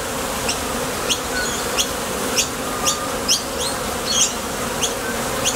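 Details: Flight buzz of bees at a Top Bar Hive entrance as they depart for nectar and return. Steady hum with irregular high, chirpy ticks and small swells in loudness.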